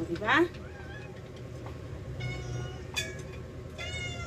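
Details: A rescued house cat gives one short, sharp rising meow near the start while the cats eat, followed by faint tonal speech and a steady low background hum.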